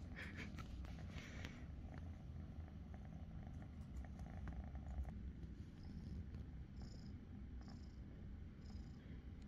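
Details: Glue, a cat about five months old that was found in the forest, purrs during an affectionate moment with its dad: a steady, deep, rumbling purr runs throughout, with faint high ticking sounds in the later seconds.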